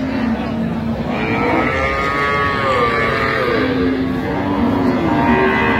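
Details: Lowing from cows kept with their calves at Ambari haat, Dinajpur, on 31 October 2025: a flat, sustained low moo opens, then wavering, bending moans follow amid dense market chatter.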